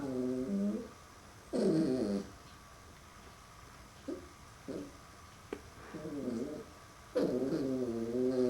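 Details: Puppy named Max meets his reflection in a mirror for the first time and answers with several separate wavering, whiny growls, each up to about a second long, with short pauses between them and a quiet human voice in the gaps.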